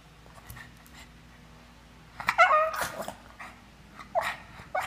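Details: A 2-year-old Boston Terrier whines in high, wavering bursts, begging for caviar pies meant for people.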